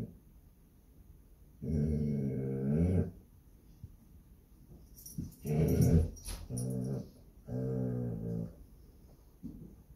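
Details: Basset Hound named Lucie guarding her home, indoors: low rumbling growls in bursts of one to one and a half seconds, four separate growls with short quiet gaps, the third rougher with a brief sharp edge.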